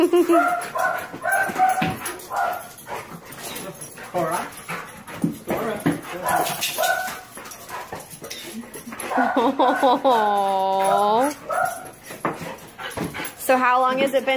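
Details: Pet dog, excited and hard to control, greeting its owner back from abroad after a long time apart; people talk over the animal's scattered yips, then long wavering high whines rise and fall, one drawn out, another sharp near the end.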